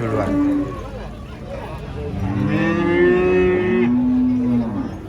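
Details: A giant female cow, raging while being loaded under a tree called haunted, gives several low, drawn-out tonal moos: a short one early, a longer wavering moo in the middle, then a steady closing moo over a murky background rumble.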